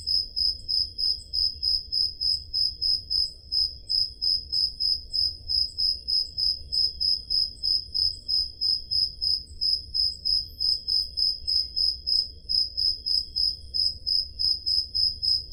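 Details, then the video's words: High, ringing cricket chirps repeat about three times a second without pause, recorded on a summer night in the Peloponnese, Greece, with a portable digital recorder; a soft low hum lies beneath. "Crickets Sound Effect"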